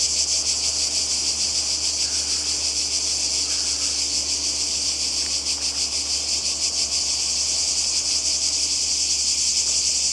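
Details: Seaside cicada chorus in Croatia, summer 2020: an unbroken, shrill, hissing buzz with rapid throbbing pulses that holds an even loudness from start to finish.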